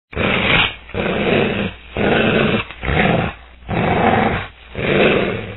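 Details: A wolf growls at a human threat in deep, rough rumbles, each under a second, repeated about once a second.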